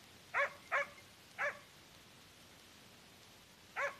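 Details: Hunting dog holding a wild boar at bay during a boar hunt, giving four sharp, loud barks, two close together, then a third, and a last one after a pause, over a quiet background.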